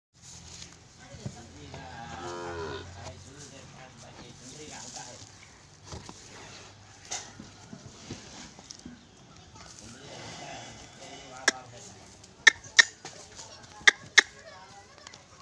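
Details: Angry Ongole bull giving a low, drawn-out harmonic bellow for about two seconds near the start, then quieter low rumbling, with a few sharp clicks near the end.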